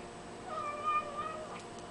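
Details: Very young kitten vocalizing while it eats: a single short, steady, tonal mew about a second long with a faint wobble, over a soft indoor background hum.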